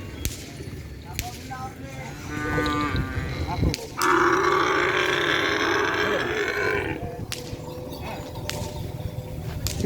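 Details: Cattle at a busy training session at the Asemanis field, preparing for a kerapan sapi bull race. A long, harmonic moo holds for about three seconds amid a man's amplified speech and crowd noise.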